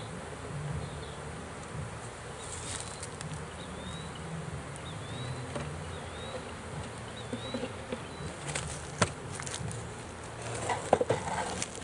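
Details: Swarm of honey bees in a swarm trap being emptied: a continuous low droning buzz, a few faint thin whistles in the middle, and scattered knocks and taps in the last seconds.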